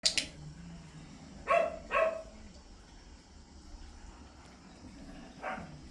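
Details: Pomeranian dog named Mee-yu during a training session, giving three short, sharp, high yaps: two in quick succession, then a single one a few seconds later, over a quiet indoor background.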